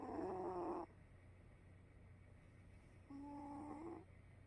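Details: Sleeping cat snoring: two nasal, slightly whistly snores, each under a second long and about three seconds apart, separated by quiet breathing over a steady low hum.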